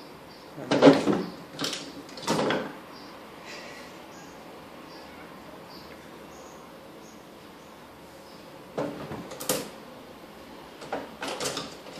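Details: No animal voice, only dull knocks and thuds from a Russian Blue cat jumping after a toy mouse indoors, with quiet room tone between bursts.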